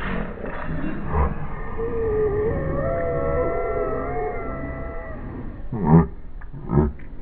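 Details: Havanese dog playing with another dog on a lawn, slowed down in slow motion, giving a long, deep, drawn-out wavering moan like a dinosaur roar, followed by a few low thumping bursts near the end.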